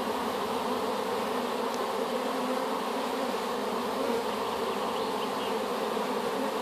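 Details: Swarm of honey bees collected from an apple tree and newly housed in a hive, humming in a constant, layered buzz with slight rises in intensity.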